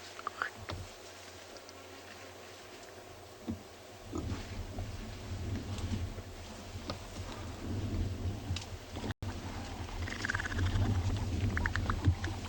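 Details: African elephants at Ngala Private Game Reserve, South Africa, on an afternoon safari on 13 April 2020, rumble to each other in deep, low, throbbing tones that swell in the second half; wind rustles grass, a hornbill calls distantly, and ears flap.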